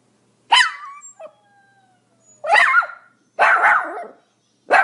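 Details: Shrill barking from a Pomeranian, with a high yelp that drops into a thin whine, then two harsher, noisier barks and the start of another.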